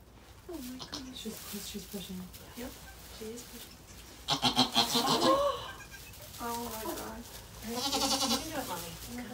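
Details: Goats at Goats of Anarchy around the birth of four kids to Maybel, a rescued mother goat. Several wavering, quavering bleats in short bursts are mixed with human voices and handling noise.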